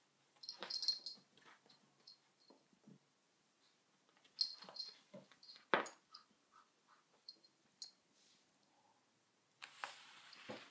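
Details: Dog named Sona with a cushion, making scattered breathy snorts and rasping sniffs with faint high-pitched squeaky whines between them, separated by short pauses, ending in a longer hissing rush of breath.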